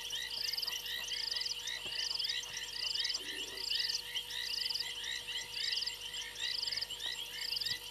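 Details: Night chorus of frogs on a fallen tree limb at a waterhole, Gowrie dam, Djuma Game Reserve, South Africa, 02:07, 28 January 2022. Rapid bright chirps pour over evenly spaced buzzing trills, with a faint low thump near the middle.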